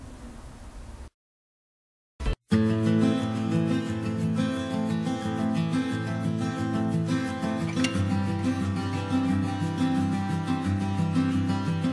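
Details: A brief muffled rumble gives way to a second of silence, then steady strummed acoustic guitar music fills the rest, with no animal sound.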